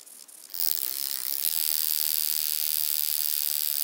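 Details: Recorded at Mala Ucka, Croatia, on 26 July 2023, a wing-buzzing toothed grasshopper starts with a faint flutter, then breaks into a loud, continuous, shrill buzz that holds steady to the end.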